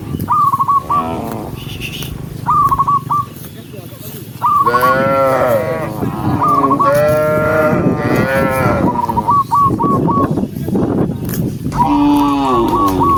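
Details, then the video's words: Herd of cows moving toward the barn: repeated deep moos, several voices overlapping through the middle, with short whistled chirp bursts every couple of seconds at the start. "Tens of thousands of cow troops walking neatly toward the barn with the sound of cow, cow Sound"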